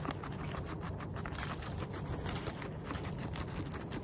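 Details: Close-up of a guinea pig's mouth while it eats, with rapid, busy crunching and nibbling clicks throughout and a soft low background hum.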